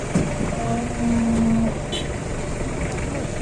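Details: A rare, very large cow at a market, described with big legs, a long tail, banteng-like horns and red eyes, gives one short, low, steady moo of under a second against a constant hum of background noise.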